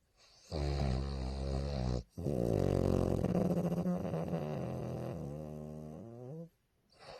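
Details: Loud snores from a tired, peacefully sleeping bulldog: deep rumbling tonal breaths with wobbling harmonics, a short pause, then a long, rough, sustained snore that fades out before a brief restart.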